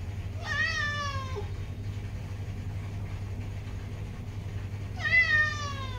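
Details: A female domestic cat meowing because she wants the door opened: two long, drawn-out meows with a falling tone, one near the start and another about four seconds later, over a steady low hum.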